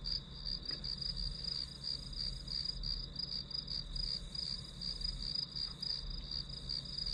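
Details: Grass insects chirping in a steady high-pitched trill, pulsing about three times a second without pause, over a soft low hum in the background.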